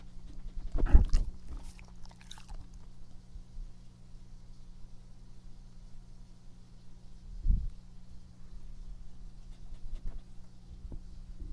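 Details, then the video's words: Epo the dog chewing up close in a quiet small room: a few crunchy bites just after the first second and around two seconds, another near seven and a half seconds, over a steady low electrical hum. "breath/Mastication sound/drink"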